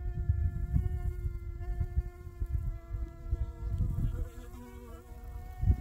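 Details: Honey bee giving a continuous hovering buzz, a constant humming tone with overtones that wobbles and dips in pitch around the fourth second, set against rumbling wind.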